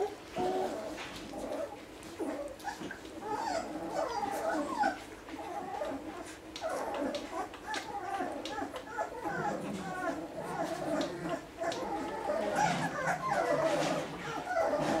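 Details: A litter of one-week-old Basset Hound puppies whimpering together, a continuous overlapping chorus of short squeaks and whines over fifteen seconds with soft rustling underneath.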